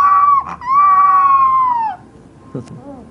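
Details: A puppy gives a high, thin howl, briefly broken, then held and sliding down before ending; a short knock and a soft fading sound follow.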